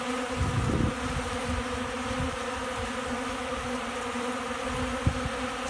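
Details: Honey bees feeding from a hand in Central Alabama, with wind and storms coming in. A constant buzzing hum runs under low gusty wind bursts near the start, and a sharp tap comes near the end.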